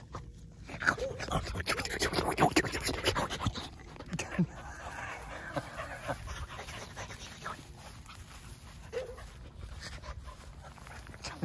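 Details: Dogs gathered at a fence panting: rapid, breathy, noisy bursts repeating about four times a second, with a brief faint whine near the start and quiet background noise.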